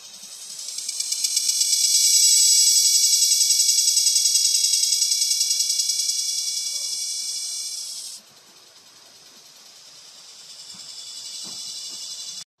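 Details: Cicada, called kuliglig in Tagalog and gangis in Bisaya, singing a loud, very high, rapidly pulsed buzzing drone that swells, holds steady for about eight seconds, then drops to a quieter pulsing buzz before cutting off.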